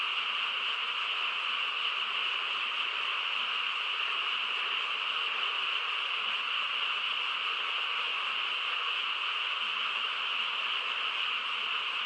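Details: Frogs chorusing on a quiet countryside night, the calls blending into a dense, unbroken wash of sound with no single voice standing out, steady in loudness throughout.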